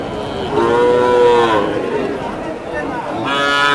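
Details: Improved-breed bull calves for sale at the Choubaria cattle market, Manda upazila, Naogaon district, recorded 28 September 2018: a drawn-out, slightly rising then falling moo lasting about a second, then a second moo starting at the end, over market murmur.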